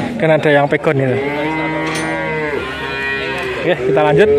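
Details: Male calves at a cattle market in Grabag, Magelang regency, Indonesia, where nineteen were bought together. A long, steady, low moo holds for over a second after shorter broken calls, and another rising moo closes the clip.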